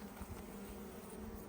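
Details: Dense, continuous droning of many honey bees around an open hive during honey harvest, a thick low hum with a faint higher overtone band, unbroken across the whole stretch.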